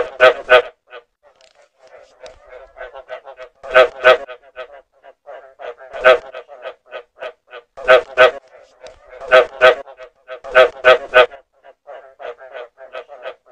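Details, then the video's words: Frogs croaking, recorded clearly as a lure: loud harsh croaks in pairs and triplets recurring every couple of seconds, over a steady background of softer, fast pulsed notes. "เสียง กบ สำหรับต่อ คมชัด 100%"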